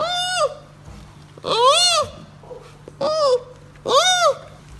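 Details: Baby giant panda calling: four short, arched, bleating cries, each rising then falling in pitch, spaced about a second apart, over a steady low hum.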